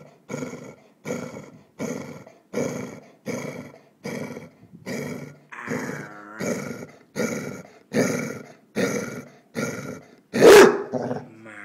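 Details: Female Basset Hound guarding a bone she will not share, growling in rhythmic rumbling bursts about every second, with a brief whine near the end and a sharp loud noise just before it stops.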